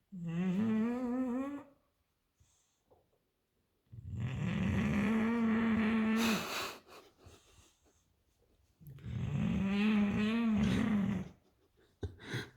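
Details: An English bulldog snores loudly while asleep, with long rasping, buzzy breaths repeating every few seconds; the snoring can be heard from an upstairs bedroom.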